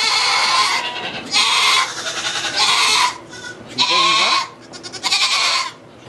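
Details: Goat in a sugar shack in Quebec, Canada, during the birth of two kids: loud, harsh, quavering bleats repeat in steady bursts, with a brief French voice in the background.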